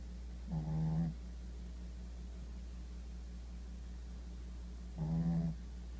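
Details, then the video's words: Shih Tzu asleep, giving two short, rasping low snores about four and a half seconds apart, each lasting about half a second, with a constant low hum in the background. "Shih Tzu 睡相1--打呼"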